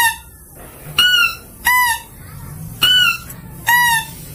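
A mouse-deer call: four bright, tonal squeals, each brief with a slight rise and fall, spaced unevenly about a second apart. The clear voice serves to attract, over a faint low background hum.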